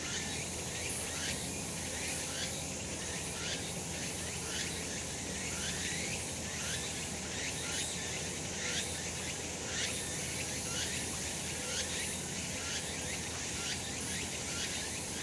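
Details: Cicadas calling on a sunlit summer mountain in Japan: a dense, steady high shrill chorus with short rising sweeps repeated about once a second, over a constant low rural background hum.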